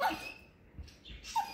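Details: A female basset hound gives short, high, nasal whines, begging for her owner's cheese.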